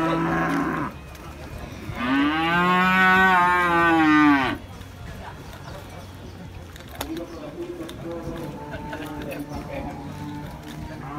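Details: Cattle at Pasar Muaro Paneh livestock market, West Sumatra, Indonesia, which holds many breeds: one long, loud, rich moo lasting over two seconds, swelling then falling, amid steady crowd and market noise.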